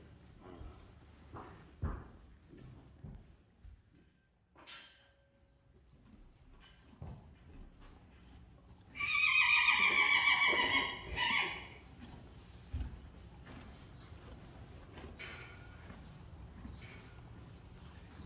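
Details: Friesian colts, one only three weeks old, playing and biting each other on a horse farm; one loud, steady neigh of about two and a half seconds midway, among scattered soft thumps and clicks.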